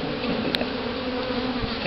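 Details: Honeybees released with their queen into a newly hived colony during a bee removal in Houston, Texas, in October 2011; a dense, steady buzzing hum of many bees fills the whole recording without pause.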